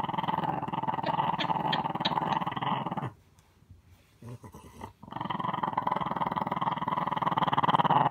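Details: Deep pulsing growls from a little dog: a sustained rumble for three seconds, a quiet gap with soft shuffling, then the growl resumes and continues strongly to the end.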